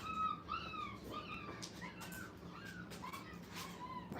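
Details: Kennel puppies aged five weeks on their first playpen outing, producing a string of high whimpers that dip and rise, one after another, with soft rustling and a low mechanical hum underneath.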